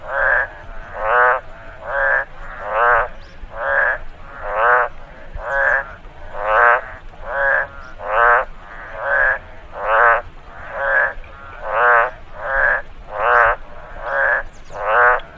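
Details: Frog calls in a rice field following rain: a long, even run of about eighteen buzzy, pulsing croaks, steady and metronomic, occasional faint higher clicks behind them.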